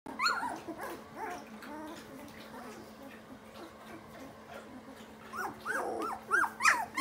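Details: German Shorthaired Pointer puppies just starting to play; faint squeaky whines and yelps scattered through a steady low hum, growing louder and more frequent near the end.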